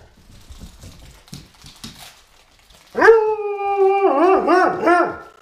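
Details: Weimaraner puppy playing with toys: about three seconds of soft thumps and rustling, then a loud, sustained, harmonic-rich howl that holds steady before breaking into wavering, yodel-like pitch swoops for the final two seconds.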